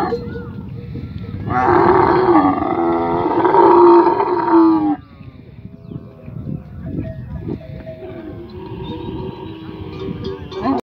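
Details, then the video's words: Camel held by its owner while being fed medicine, letting out a long, harsh moaning roar for about three seconds, then quieter rumbling, shuffling noises and a few weaker groans toward the end. "Camel voice"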